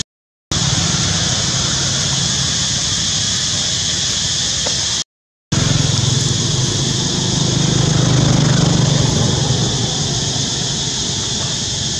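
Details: Continuous vehicle and engine noise fills the recording, a low rumble under a broad hiss. No animal calls stand out.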